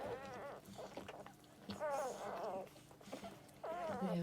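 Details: Newborn Labrador Retriever puppies on their second day, suckling, sleeping and being washed, give high wavering squeals and whimpers in three bursts, each a sliding harmonic cry, with soft rustling and murmurs between.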